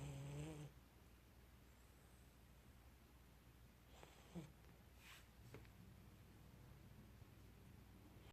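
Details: An Akita puppy snoring softly, a low rumbling breath repeating in a steady, gentle rhythm.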